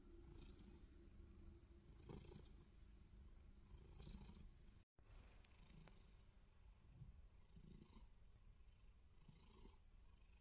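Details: Loud, continuous low purr from a black cat lying belly-up, as though setting a belly trap, with rhythmic breathy surges every couple of seconds and a brief cut near the middle.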